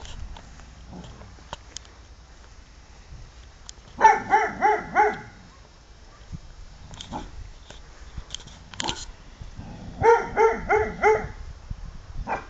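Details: Lota, an English Pointer, barking in two quick bursts of four to five tonal, harmonic barks, about four seconds apart, with quiet rustling and clicks between the bursts.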